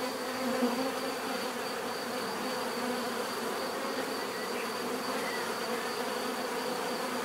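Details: Many bees humming steadily in nature, an unbroken even drone with a faint constant high-pitched whine above.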